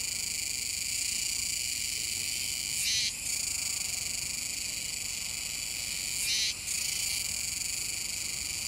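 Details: Continuous shrill, banded hum of Kuroiwa's cicadas at the Komegawa river mouth on Tanegashima, 7 September 2022, swelling twice into short, louder rasping surges about three seconds apart.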